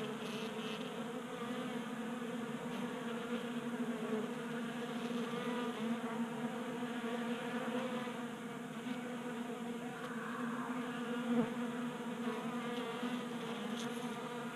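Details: Honey bees gathered at a 3D printed table-top feeder in a Colorado garage, burning winter fat stores in unseasonal January warmth; dense overlapping buzzing with shifting pitch as individual bees drift nearer and away.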